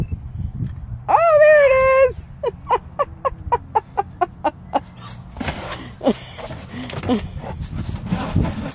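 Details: Tonka, an Alaskan Malamute, reacting to a cat hidden above him that he senses but cannot see: a rising, wavering howl for about a second, then a run of short, evenly spaced woofs, followed by scuffling and a person's voice.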